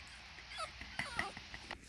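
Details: Blue and tan female and black and tan male French Bulldog puppies indoors, giving faint high whimpers and short yips scattered through a quiet background.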